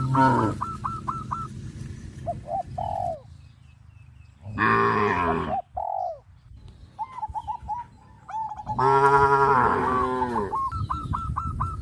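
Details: Tame cows gathering around fields, running and jumping; two loud drawn-out moos separated by several seconds, surrounded by bursts of short, repeated, high chirping notes.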